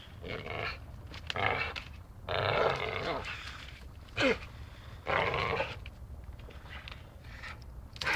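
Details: Dachshund at play, biting: rough, noisy growling bursts separated by pauses, with one brief squeaky whine and a low rumble in between.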